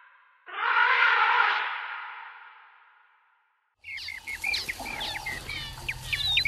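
An African bush elephant gives a loud, brassy, blaring call that fades away, followed by chirping birds.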